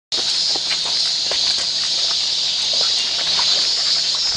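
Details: Cicadas recorded on a walk fill the air with a dense, unbroken high-pitched shrill drone that holds steady throughout, with faint scattered clicks and soft rustles underneath.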